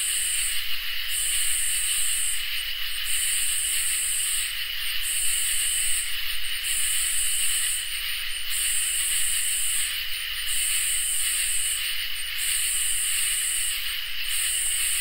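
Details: Dense summer-night insect chorus of crickets and katydids: a steady high-pitched drone with a regular series of sharp, hissing buzzes, each around one to one and a half seconds long and separated by short pauses.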